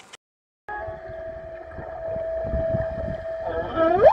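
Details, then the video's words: Humpback whale song, a song linked to breeding: a long, steady tonal moan that bends into rising, sweeping wails. "we wanted to show you guys a little clip of this whale song"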